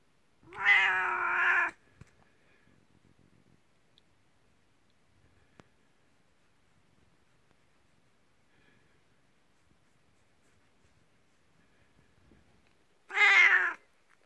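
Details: A 19-year-old elderly domestic cat calls its owner from the next room at bedtime, as if saying come here, in welcome. Two loud, drawn-out harmonic meows of about a second each open and close a long, quiet indoor silence.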